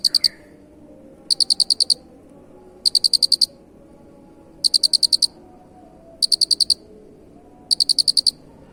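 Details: Cricket with an unusual chirp, used for song training: six bright, high-pitched bursts of six or seven quick pulses each, spaced about every one and a half seconds, with soft low background rumble.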